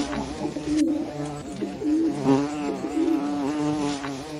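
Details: Hornet giving a steady low buzzing drone, layered and slightly wavering in pitch, growing louder and softer in gentle swells, with one brief click early on.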